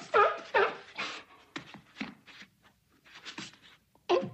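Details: A seal gives harsh, hoarse barks in short irregular bursts, with brief pauses between them, along with flipper claps.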